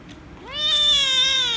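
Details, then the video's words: An angry rescue kitten lets out a single loud meow on being petted, rising quickly then holding a steady, clear harmonic tone. "The Rescue Kitten Angry And Meowing Loudly If I Pet Her"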